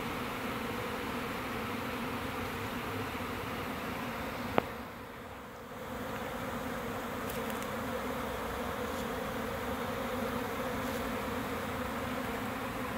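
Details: A swarm of roughly 20,000–30,000 honey bees on a June morning in 2017 is scooped by hand into a hive box with their queen, fanning, making a steady, dense, low buzzing hum.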